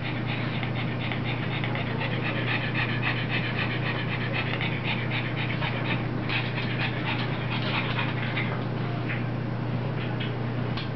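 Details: Rosie, a puppy, pants while playing with mommy: quick breathy bursts, roughly two per second, fairly irregular, over a steady low electrical hum in an indoor setting.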